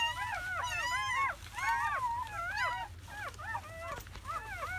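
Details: Seven newborn German Shepherd puppies, four males and three females, in their first hours after birth in May; a dense chorus of high, wavering whines and squeals rising and falling in overlapping bursts, with faint background music.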